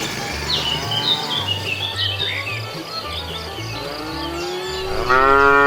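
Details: Cows wandering on a road looking for food; busy bird chirping and a faint low lowing fill most of the stretch before a sudden loud moo cuts in at the very end, over a thumping low beat.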